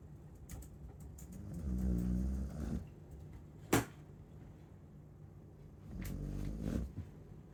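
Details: Chow Chow snoring: two slow, rumbling low breaths a few seconds apart, each with a fluttering, vibrating texture, and a sharp click between them.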